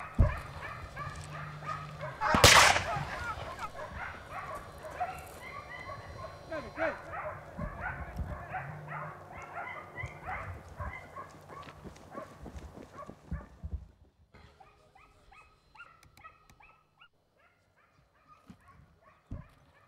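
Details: Italian hounds, Segugio Italiano, in swift pursuit of a hare in a vineyard, early 1990s; a loud bang early on, then massed baying that fades after about fourteen seconds to scattered distant yelps.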